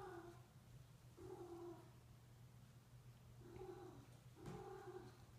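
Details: Female Sphynx cat in heat calling while a male Bambino cat is with her for mating: a series of short, nasal mewing yowls in quick bursts, about four calls, over steady low indoor hum.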